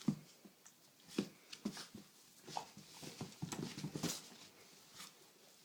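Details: Great Dane puppy Fiddler, 7.5 weeks old, wrestling playfully with his leashed six-month-old cousin Sandy indoors; short low growly grunts come in bursts about every half second to second, mixed with scuffling and rustling.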